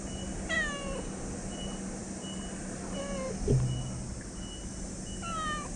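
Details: Stray cat known for talking gives two or three short meows, one at the start and one at the end, with a softer call between, against a constant electrical hum and hiss.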